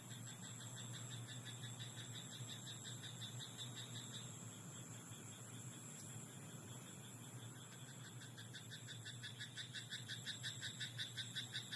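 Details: At night in a rice paddy, frogs give soft, scattered croaks before a quick run of rhythmic pulsed croaks grows louder toward the close, set against a continuous low rumble and faint high whine.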